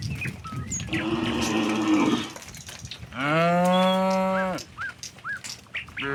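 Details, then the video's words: A crowd of tame cattle walks from the neighbouring village to their pen. A rough, noisy low moo is followed by a long, clear, harmonic moo that falls slightly at the end, with small birds chirping throughout. "suara sapi moo"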